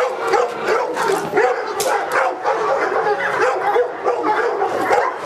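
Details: Presa Canario Felipe de Ironbull from King Zulu kennel during a protection work test under AVD e.V.; dense, rapid barks follow one another almost without pause, each a sharp harsh burst, with constant activity and no quiet gaps.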